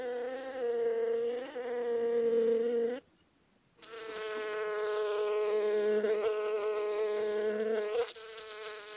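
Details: Honey bees collecting honey give a sustained, wavering wing drone with strong overtones. A deeper hum layers under it, and the buzz cuts out for under a second before returning steady.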